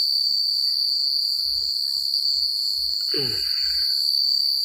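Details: Night-time crickets in quiet countryside keep up a constant high, rapidly pulsed trill; a brief low rustling knock interrupts near the end.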